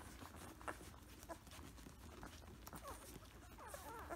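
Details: Samoyed puppies about two weeks old, recorded close up: faint, wavering high whimpers curl up and down near the end, over a steady background of rustling and shuffling.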